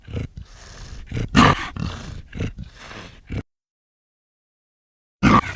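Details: Snarling black leopard: several sharp, raspy bursts and coughing growls over about three seconds, a silent gap, then one more loud snarl at the very end.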